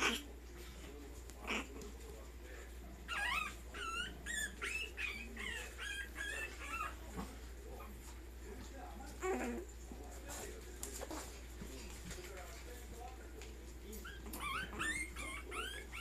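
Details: A dog from the TOKUGAWA kennel gives bursts of high, thin whimpers and yips that swoop up and down, clustered around the three-to-seven-second mark and again near the end, over a steady low electrical hum with faint background murmur.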